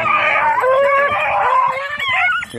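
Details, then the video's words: Red-blue tick and lemon-white beagle during hare hunting practice on Crete, Greece, in 2022, giving a loud, drawn-out baying howl with wavering tones that holds steady and then breaks into shorter rising and falling cries near the end. "2022 hare practice redblue tick lemon white beagle crete Island , μπιγκλ εκπαιδευτικο κρητη 2022"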